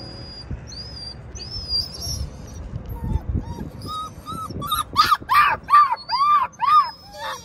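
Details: A stressed puppy, separated from its worried mother and unable to follow her into a garden, gives short arched whines. They are faint at first, then grow louder and come in a quick series near the end against a rustling background.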